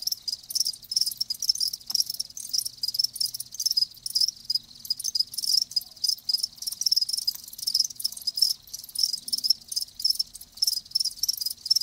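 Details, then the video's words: Crickets heard live, continuous rapid high-pitched chirps packed closely together, a dense shimmering trill with little pause between pulses, nothing else prominent. "Live Crickets 60min "Natural Sound" ASMR"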